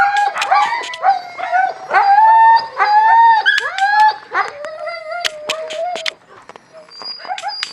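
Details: Several husky puppies feeding, with drawn-out wavering whines and little howls, sometimes bending downward, crowding together early on, then thinning to a single long wail and quieter squeaks near the end.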